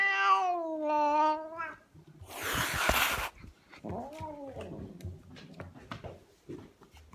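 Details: An angry house cat utters a wavering yowl, then spits out a harsh, noisy hiss lasting about a second, followed by quieter, arched growling cries and scattered clicks and rustles.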